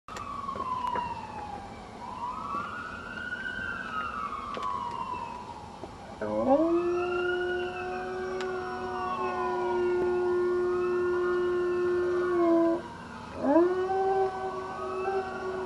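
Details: Dog howling, recorded in 2009: first a wavering siren-like wail that rises and falls, then long, steady, low-pitched howls. Each howl starts with a quick upward slide and holds level for several seconds, with a short gap before the next.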